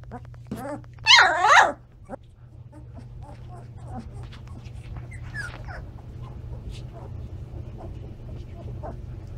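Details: A 17-day-old Standard Poodle puppy from a litter filmed on October 28 lets out a loud, bending whine lasting about half a second. Faint squeaks and quiet human voices follow over a low background hum.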